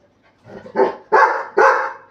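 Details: Labrador Retriever puppy urged to act angry; a low grumble rising into three loud, rough barks roughly half a second apart.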